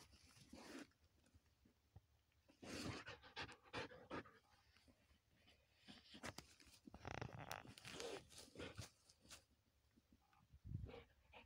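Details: Lexa, a Belgian Malinois x German Shepherd cross, out rabbit hunting. Breathy, uneven bursts of panting come in clusters, with rustling and handling noises between them.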